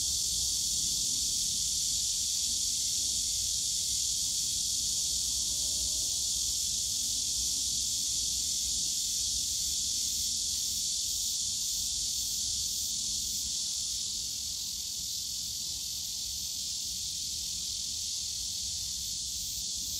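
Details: Steady wall of shrill cicada song in Yongsan Family Park's bamboo grove on a summer day, unbroken for the whole stretch and easing slightly in loudness toward the end, with quiet low background park noise.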